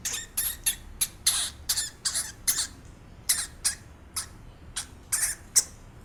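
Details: Steady series of high, shrill squeaks from a real hamster, roughly two or three per second, each a brief scratchy burst, some slightly longer and drawn out, with faint room hum beneath.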